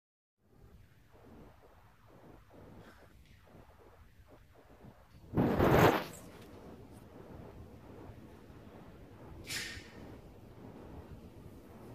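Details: A quiet indoor room with low hum, faint rustling and two brief whooshing swishes, and no animal call.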